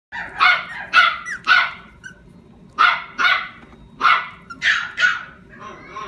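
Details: Yorkshire Terrier, described as small but full of energy and fond of play, giving sharp, high yappy barks in quick clusters, about seven barks over six seconds with short quiet gaps between bursts.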